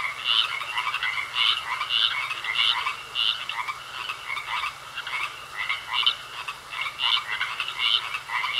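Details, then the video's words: Pond frogs giving a chorus of rapid pulsed croaks, loud bursts alternating with softer spells, several callers overlapping unevenly, a faint constant high tone behind. "Sounds Of Frogs Croaking In A Pond"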